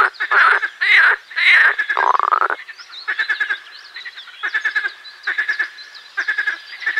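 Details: Marsh frog song opening with loud, drawn-out, wavering croaks, then shifting to shorter rattling pulse trains repeated nearly twice a second, with other frogs calling behind.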